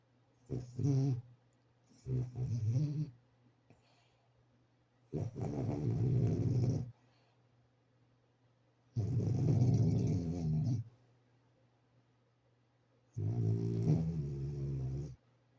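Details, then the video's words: A sleeping French Bulldog snoring: long, rumbling, low breaths in bursts of about two seconds, roughly every four seconds, with short quieter snorts before them and silence between. "Как храпит французский бульдог"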